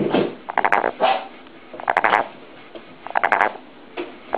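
A frog gives short, throaty purring bursts, each a quick rattle of pulses, repeated every second or so.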